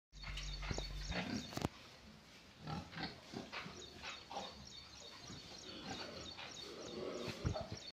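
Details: Pigs at feeding time, giving a fast, irregular run of short, low snorting grunts through eight seconds, mixed with a knock near the start and scattered clatter.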